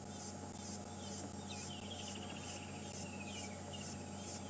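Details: Loud insect noise recorded while parked at a wildlife sighting during an afternoon safari drive at Djuma and Arathusa, December 11, 2014; a steady high pulsing buzz, throbbing about twice a second, over low engine hum and faint bird whistles.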